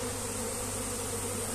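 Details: Many honey bees of a colony being moved by hand into a box where their queen is held, slowly crawling inside; steady low droning buzz with even layered hum throughout, a person trying to catch the bees nearby.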